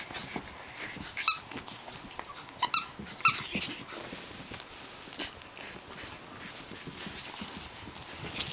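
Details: Japanese Chin puppies Hestia, Asti, Fizzie and a baby girl at play; brief high, thin squeaks and yelps at intervals over soft scuffling, with no steady rhythm.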